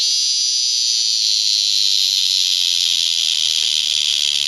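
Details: Cicadas at Lionsgate in early September 2009, so loud it was painful: an intense, unbroken high-pitched droning buzz fills the air at constant strength with no pauses.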